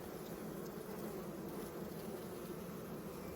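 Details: Honey bees swarming over frames with larvae in an open hive during spring inspection; an even, dense hum of many bees throughout, without breaks.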